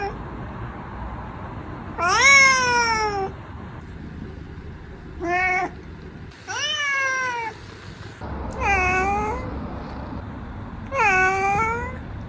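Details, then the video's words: Cat giving five clear meows, each rising then falling, about a second long and spaced every two to three seconds, over faint background hiss. "Tingkah Laku Kucing Lucu 33"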